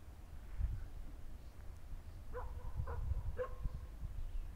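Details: Rough Collie barks on returning home during an unexpected encounter with horses: three quick, tonal barks about half a second apart near the end, after thumping low-pitched noise and rumble.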